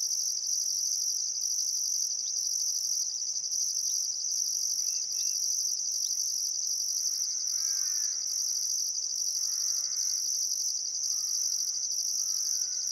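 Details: Crickets by the Barcoo River at Welford National Park, Queensland, on a still summer evening keep up an intense high trill with rhythmic pulsed overtones, while a bird adds warbled, wavering phrases in the second half.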